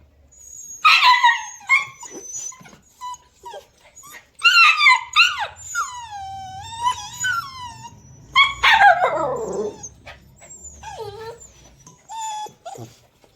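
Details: Puppies heard together: high, thin whining yelps and squeals, many with bent rising-then-falling tones, coming in short bursts with quiet gaps between.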